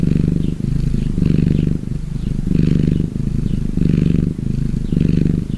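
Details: Relaxed gray tabby cat giving a continuous low purr, a deep buzzing rumble rising and falling with each breath, with about five rhythmic swells and short gaps between them.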